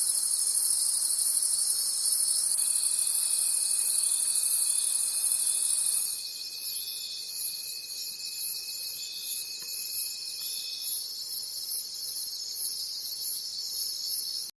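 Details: Night-time forest crickets: a bright, high trilling chorus that shifts about halfway through into clearly separated rhythmic pulses, roughly three per second, with a thin steady tone beneath for much of the recording.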